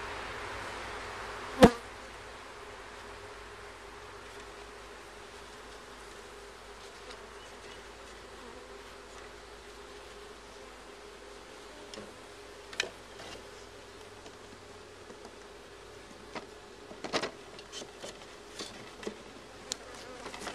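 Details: Bees humming continuously in a low, even drone during a beehive check where comb has been found. Occasional sharp taps and knocks from handling the hive cut through the buzz.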